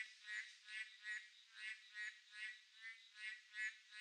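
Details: Boreal digging frogs calling on a midsummer night: several overlapping nasal, harmonic croaks pulse in quick succession, roughly two to three per second, over a steady high, thin insect-like hum.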